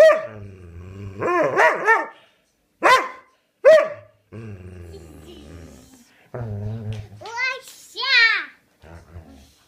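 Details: Dobermann dog that loves to talk, a family pet: drawn-out grumbling moans with a low growly rumble, broken by rising and falling whines, ending in higher yodelling yelps in bursts separated by short silences.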